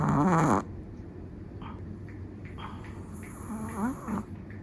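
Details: Long-haired black-and-tan Chihuahua asleep, one loud wheezy snore with a squeaky whistle at the start, then faint nasal breaths and a small whistled squeak near the end, steady low hum underneath.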